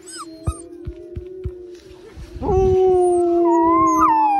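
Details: Wolfdogs howling together: three puppies learning to howl alongside adult wolfdogs; a steady low howl joins a higher wavering one, preceded by scattered clicks and knocks.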